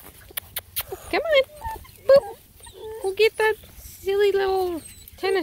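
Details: Bluetick Coonhound puppies at an Ontario, Canada breeder, just awake and reacting to a visitor: several short, high whimpers and yelps, some sliding down in pitch, between a woman's cheerful talk as a tennis ball is offered.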